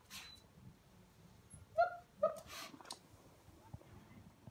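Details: A 7-week-old female Siberian Husky puppy gives her first howl, calling to a dog sniffing behind a door. She produces two short, clear, high-pitched notes in quick succession amid faint background noise and soft rustles.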